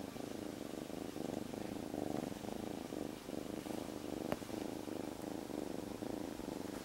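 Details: Former stray kitten rescued three days ago, snuggled in its owner's jacket, purring without pause: a low, buzzing vibration swelling and easing with each breath, one sharp click midway.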